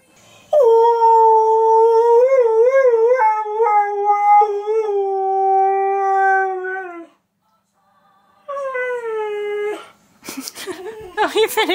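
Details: A husky, confused at hearing his favourite song played, gives a long, wavering howl, pauses, then howls again more briefly.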